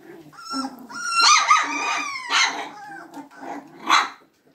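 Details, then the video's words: Magyar Vizsla puppies: drawn-out, wavering high whines, with a rough growly undertone, then a couple of short yappy barks. "Magyar Vizsla Welpen"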